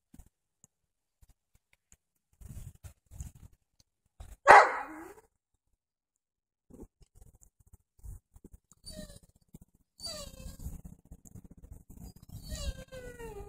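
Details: Seven-week-old Doberman puppies romping and playing outside on a fall afternoon; one sharp loud bark midway, then scattered soft yips and a stretch of thin high squeals and whines, with rustling and light knocks between.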